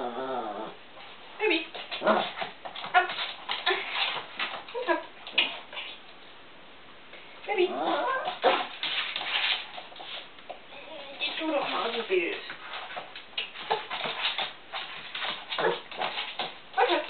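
A Chihuahua whines and yips in high, wavering bursts, with a person talking now and then.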